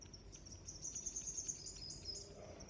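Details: Crickets chirping in a high, thin, shimmering band of rapid pulsed trills that run almost without pause, with a faint rising whistle near the end and soft low background rumble.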